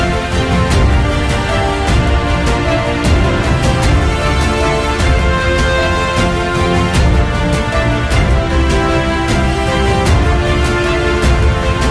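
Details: Loud, steady theme music with a driving beat fills the whole stretch, and no animal calls come through.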